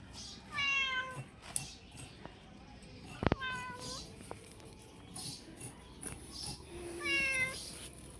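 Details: Domestic cat being given food, with a person calling to it. Three drawn-out meows spaced a few seconds apart, a sharp knock in between, and quiet background noise.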